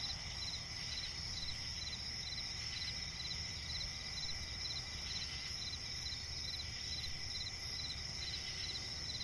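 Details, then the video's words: Several crickets chirping at night in a forest swamp; a high ringing trill with pulsed chirps repeating about twice a second, over faint low-frequency ambient noise. "cricket chirping relaxing sound in night forest"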